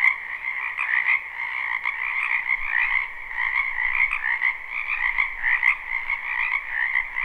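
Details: Many frogs croaking in a spring wetland behind a house, recorded live: a dense, continuous chorus of fast trilling pulses that overlap in two bright pitch bands with no pauses, and no other clear sounds.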